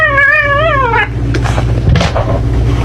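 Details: Cat's drawn-out wavering yowl lasting about a second, pitch wobbling up and down, followed by thumps and scuffling noise over a steady low hum.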